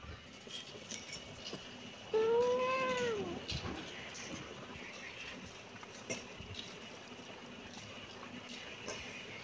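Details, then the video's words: Young kitten giving a single clear meow just after two seconds, rising slightly then dropping off over about a second, followed by quiet room noise and soft rustling. "Kitten meowing"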